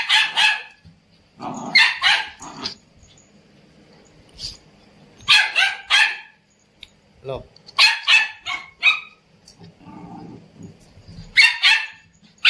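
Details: Indian Spitz pet dog barking repeatedly in bursts of two to four shrill, high yaps, spaced a few seconds apart, with people talking in Hindi between the outbursts.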